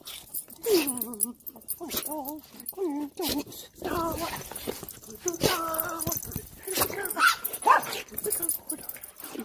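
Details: Siberian Husky crying at a happy reunion with its owner after being left home alone for a week; wavering, harmonic whining cries rising and falling in short bursts, with excited human speech and household noise around them.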